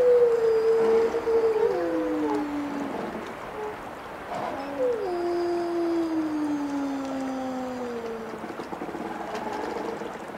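Wolves howl in long, smooth tones that hold steady and then slide downward, several voices overlapping.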